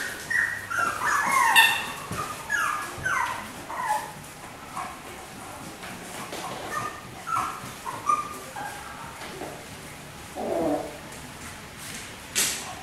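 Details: Four white miniature schnauzer puppy sisters born on 18 August, giving high, thin whimpering yips and squeals in short rising and falling bursts, clustered in the first few seconds and then scattered, with quieter rustling between calls.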